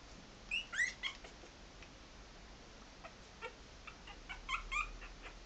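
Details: Three-and-a-half-week-old Maltese puppies moving about give faint, high, bent squeaks in scattered pairs and short runs over a soft background hiss.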